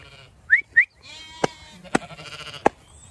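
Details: Zwartbles sheep of the main flock on a regenerative farm in County Kilkenny, Ireland, moving to a field for cool late afternoon grazing; one wavering bleat follows two short sharp whistles and some clicking knocks.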